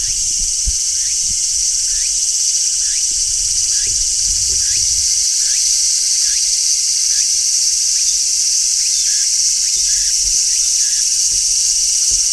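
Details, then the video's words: Large brown cicadas shrilling in midsummer: a steady, dense, hissing drone high in pitch, unbroken throughout, with faint soft low thumps beneath and no music. "Cicadas Sounds | Cicadas Singing in Midsummer | Large Brown Cicada"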